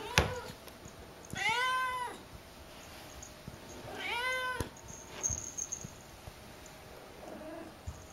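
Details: Akari, a young pet cat filmed during her first two months at home, gives two clear harmonic meows, each arching up then falling, about two and a half seconds apart, in a quiet room with faint background hiss.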